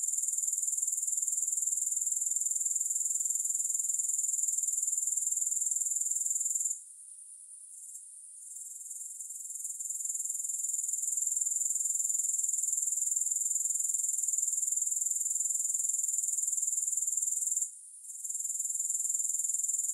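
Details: Grasshoppers keep up a steady, thin, very high trilling buzz, cut off twice for a moment before returning; nothing else audible.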